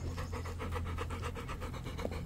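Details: Rapid, even panting from a wet female dog being hand-fed corn on the cob, several breathy puffs each second across the whole stretch, over a low steady indoor hum.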